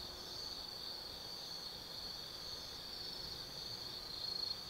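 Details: Forest insects on an autumn night at Tsukimi no Mori in Gifu Prefecture, Japan, 180 m above the Nobi Plain: unbroken shrill trilling, slightly wavering in strength, with quiet ambient background noise.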